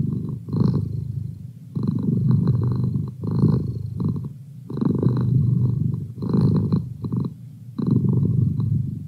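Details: Merlin, a pet cat, purring in a quiet room: deep continuous rumble broken into breath-length surges about every one and a half seconds, soft brief gaps between them.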